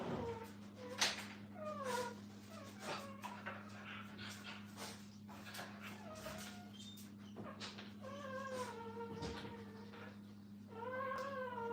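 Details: Several puppies kept with their mother at a kennel whine and whimper repeatedly, with high descending cries scattered among soft clicks and scuffling, all over a constant low mains hum.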